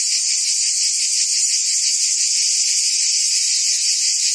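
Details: Summer cicada chorus from Provence in southern France: high, hissing, rasping drone that never pauses, with a faint rapid throb running through it and level intensity.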